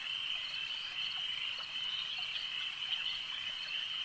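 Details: Frogs at a lake keep up a dense, piercing chorus, overlapping voices fused into one steady ringing band with faint rhythmic swells.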